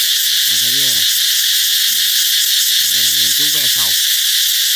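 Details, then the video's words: Cicadas singing to announce that summer is coming: a loud, shrill, unbroken buzzing drone fills the whole recording, with short bursts of human speech around the first and fourth seconds. "Ve sầu hót vang báo hiệu mùa hè sắp đến"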